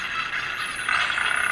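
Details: Spinner dolphin burst pulses, a fast, high-intensity dense buzzing rasp used in quick close-range communication to make an adjoining dolphin back off, with faint high whistles sliding downward above.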